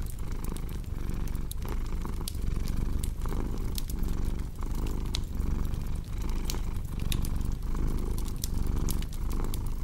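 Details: A purring cat's rumble rises and falls about 39 times a minute, each breath audible, while wood in a fireplace pops and crackles throughout.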